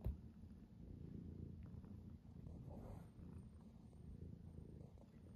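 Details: A tuxedo cat purring in the morning as an alarm, with play fighting, a low continuous rumbling purr steady throughout, faint hiss of background noise.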